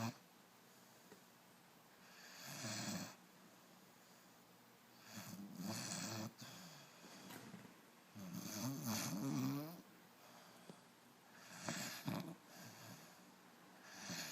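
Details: Puppy asleep indoors, snoring in uneven rasping breaths roughly every three seconds, some with a wavering buzzy tone, amid faint room noise.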